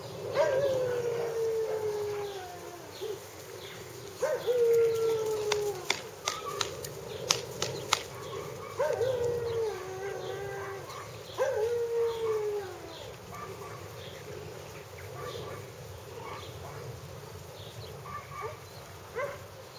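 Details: Four plaintive whines from young Hungarian Vizslas, each starting sharp and drooping downward, come in the first thirteen seconds, mixed with sharp clicks and knocks; the end is quieter rustling.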